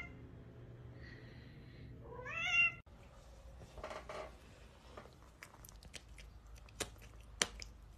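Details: Domestic cat indoors making a soft steady mew followed by a louder wavering rising meow, then scattered clicks, taps and faint household noise.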